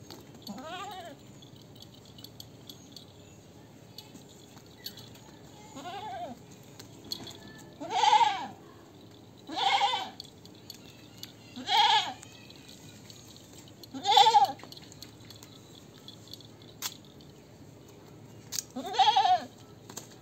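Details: Goat bleating repeatedly, wavering nasal calls roughly every two seconds, six or seven bleats separated by quiet gaps, a faint steady hum underneath.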